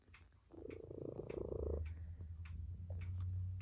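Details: Tabby cat lying with its family purrs in one grainy bout of just over a second, after which a low droning hum takes over.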